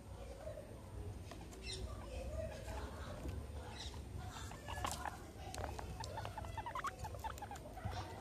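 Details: Two pet guinea pigs, Meadow and Sandstorm, surrounded by a soccer ball and an American football during playtime; brief high rising squeaks cluster near the end, alongside clicks, taps and low background hum.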